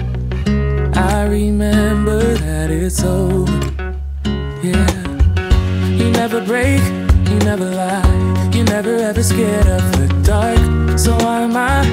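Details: Guitar-led music with singing and a steady bass line throughout.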